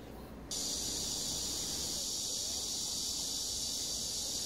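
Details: Summer cicada chorus in Bucheon's Sosa Grand Park, Korea, starting abruptly after half a second of quiet and then sustaining a loud, continuous, shrill buzz to the end.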